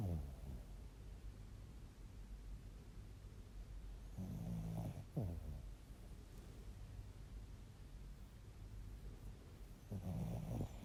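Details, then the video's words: Bichon Frise snoring: low rumbling snore bursts about every six seconds, each a short rough breath noise, with quiet steady background between. "Bichon Frise Snoring"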